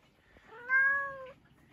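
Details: Pet cat in conversation with its owner, who offers it pets; one drawn-out tonal meow about two-thirds of a second long, swelling quickly then fading gently, against a quiet room.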